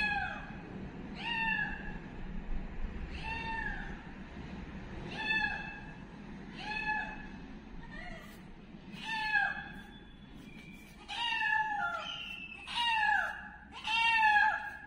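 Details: Loudly calling kitten giving repeated falling meows about every one to two seconds, several growing more strained and overlapping toward the end, with a low background rumble.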